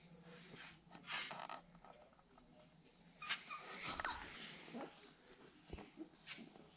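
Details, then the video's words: Siberian Husky puppies searching for their mother: brief, faint high whines and whimpers with a thin wavering tone, mixed with breathy snorts, rustling and occasional sharp knocks. "Ууууууу кто нибудь помогите этому щенку Хаски !!! Щенки не могут найти маму!"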